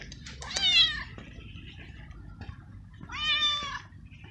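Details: Stray male street cat in heat, living homeless in a garden, meowing loudly to find a female and asking for food: two strong, harmonic meows, each about half a second, falling slightly in pitch, separated by a quiet pause with faint background hum.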